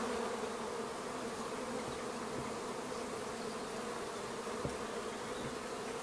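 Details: A swarm of minimum-intervention, treatment-free honey bees arriving at an empty hive in a garden in May gives a dense, steady buzzing hum of many wings at once.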